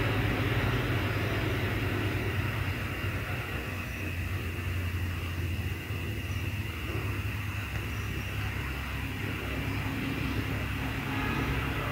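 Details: Steady low rumble of engine and traffic noise fills the whole stretch, with no animal voice standing out.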